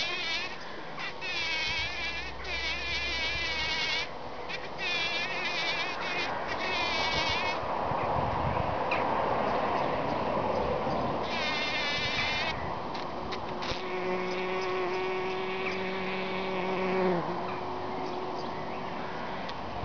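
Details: Several bees at work packing in pollen, giving repeated wavering buzzes in short bursts, then a long steadier lower drone toward the end, over constant soft background noise.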